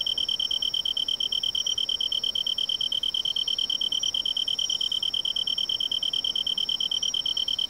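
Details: A Japanese tree cricket, commonly heard in the lowlands of western Japan, sings a steady, ringing trill, pure in tone and unbroken throughout.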